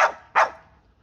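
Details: Bull Terrier dog protesting at its owner indoors, giving two sharp, short barks a third of a second apart, the second slightly louder, then quiet.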